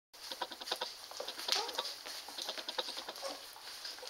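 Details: Standard Poodle puppies nursing on their mother on June 5th, 2014, fat and happy: rapid soft wet clicking and suckling patter runs throughout, with a brief high squeak near the middle, indoors in a small room.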